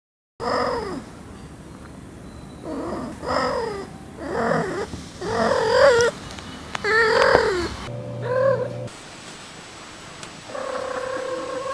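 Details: A domestic cat gives short, rolling trills about once a second, a vibrating greeting voiced outwardly, made when happy or content, such as when the owner comes home.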